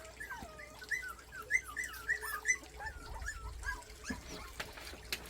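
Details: Forty-day-old country puppies, three in all, whine while trying to get up a flight of stairs; a run of short, wavering whimpers in the first half, then quieter rustling and soft thumps with faint background noise.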